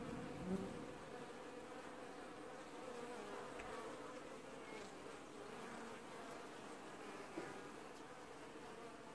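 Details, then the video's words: Many honey bees wash-boarding at the hive entrance of an apiary colony in early July 2019, giving a continuous layered drone with wavering tones and occasional louder buzzes of bees flying close. "Washboarding Bees & Ambient Sounds"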